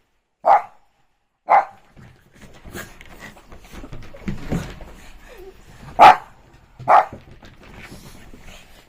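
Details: Shih Tzu at play on a rainy evening gives four short, sharp barks, two close together early and two later, with soft shuffling and rustling sounds between them.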